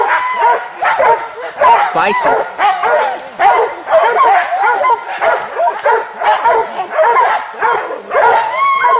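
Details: Several hunting dogs facing a wild boar give a frantic stream of barks and high yelps. The calls overlap almost nonstop, arched in pitch, with brief louder peaks.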